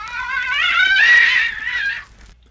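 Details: A Tasmanian devil in Tasmania, heard at night fighting others of its kind over food, gives a harsh, rising, strained screech lasting about two seconds.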